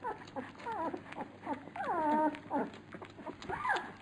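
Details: Several Labrador Retriever puppies at a feeding: tonal whines that slide up and down, one long falling squeal near the middle, with short yelps and sharp feeding clicks around it.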